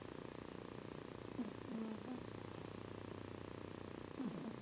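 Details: Sleeping female cat named Spock, seemingly in a good dream, gives two faint low snoring breaths a few seconds apart against a constant soft background hum.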